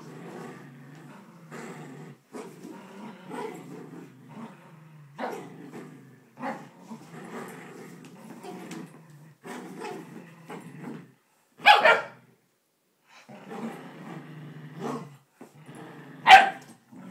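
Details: Poodles Bailey and Chloe face off over Grandma's blanket indoors, trading low growls in bursts every second or two, broken by two sudden loud sharp barks.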